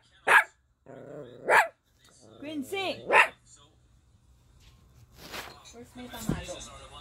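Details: Toy Poodle puppy, four months old, giving sharp high-pitched yaps spaced about a second apart, a short whiny squeal among them, followed by quieter rustling and handling noises.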